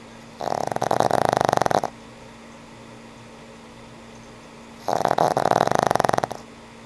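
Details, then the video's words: Frank N. Stein, an old pug, snoring while asleep: two long rasping snores about 1.5 seconds each, separated by roughly three seconds of quiet room hum. "Sweet old pug snores"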